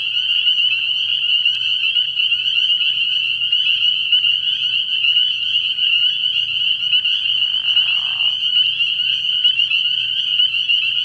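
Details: Early-spring frog pond at night filled with spring peepers: a thick, ringing mass of shrill peeps sustained throughout, plus a short muffled rustling sound near the end and a faint low hum.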